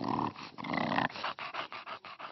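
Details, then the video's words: English Bulldog making its typical funny noises: a rough snorting, wheezy breath drawn out over the first second, then a quick run of short rhythmic panting puffs about every fifth of a second. "I love Bulldogs because they're funny I like all the funny sounds that they make and the funny look they have"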